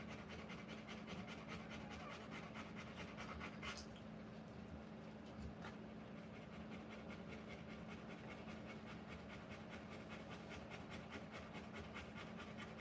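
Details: Rottweiler in labour, giving birth to puppies, panting hard: quick, even breathy puffs about two to three per second, sustained throughout, over a steady low hum with a brief rustle partway through.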